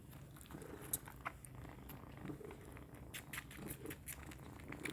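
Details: Kittens suckling milk at close range: soft, wet smacking and clicking sounds in quick, irregular succession, a few sharper clicks standing out, over a low steady rumble.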